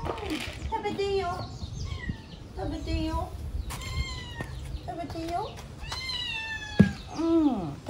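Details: Talkative stray kitten in Paraguay meowing while being offered food: a string of drawn-out, bending meows, some rising then falling, repeated every second or so, with a person speaking softly between them.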